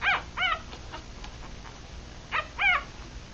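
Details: Three-day-old mixed Rat Terrier and Chihuahua puppies feeding, eyes still shut; two pairs of sharp, high rising-falling squeaks separated by a quiet gap.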